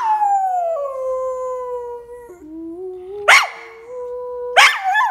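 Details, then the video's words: Kobi the dog howls along with a Christmas song, holding a long, steady, gradually falling howl for over three seconds, then two short sharp yelps followed by more sustained tone. "Kobi the singing dog"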